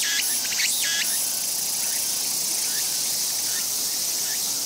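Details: A Walker's cicada (tsukutsukuboshi) sings low at eye level on a tree crowded with many individuals: a steady high hiss, with quick, rhythmic pulsed phrases rising over it early on.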